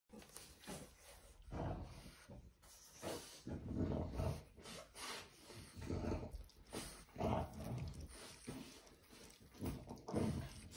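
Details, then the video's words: Puppy in the United Kingdom trying to get its mother's attention while she licks it; low grunting, snuffling whines and murmurs come in bursts every second or two, with soft licking and rustling sounds. "Adorable Puppy Trying to Get His Mom Attention as She Start Licking It"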